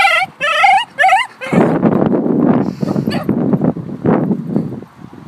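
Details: Cream two-year-old male Shiba Inu, excited at the dog park, gives three quick wavering yodel cries, each rising and falling. People's voices and background chatter then take over for the rest.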